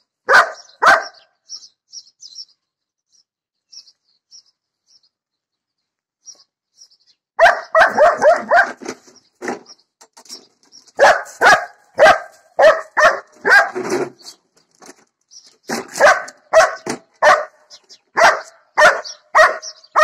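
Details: Figa, a one-year-old female German Shepherd, barking while attacking a lawn mower: after two early barks and a long quiet stretch, loud harsh barks burst out in rapid, uneven volleys, over faint high chirping.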